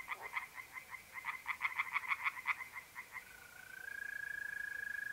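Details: Night chorus of tree frogs at a pond in north-east Italy, mid-April: a quick series of rasping, evenly pulsed croaks for about three seconds, followed by a mole cricket's steady, high, unbroken trill rising in.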